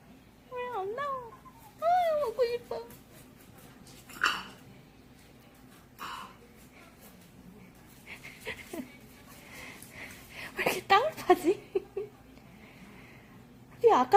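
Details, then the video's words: A pet poodle pup begging for a snack gives wavering, quavering whines in quick bursts at the start, followed by household talk and sharp bright sounds near the end. "엄마! 간식 그냥 주면 안되나요? ㅠㅠ....푸들 강아지"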